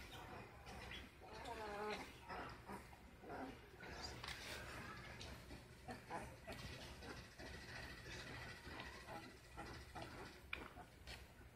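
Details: Ten-day-old Great Dane puppies give thin, wavering whines and squeaks among soft rustling and shuffling.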